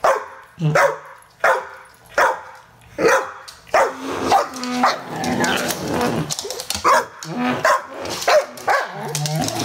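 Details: English Bull Terrier cross Staffy barking at a garden hose, loud deep barks repeated roughly every second at first, then a rough continuous growling and hissing spray noise with further scattered barks.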